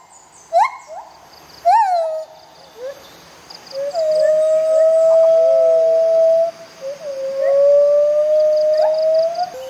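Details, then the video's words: Bella and Dexter, white-handed gibbons confiscated and in rehabilitation, sing their morning duet: two sharp rising hoots, then long steady pure whistled notes held for seconds, with soft insect buzzing behind. "White Handed Gibbons, Bella & Dexter Duet"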